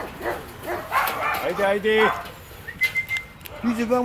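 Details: Eight-week-old female puppies Uma, Uganda and Urnebes of the DarkFall U litter in a training tunnel with sounds: high, tonal whines and yips rise and bend, with short pauses between them and faint voices in the background.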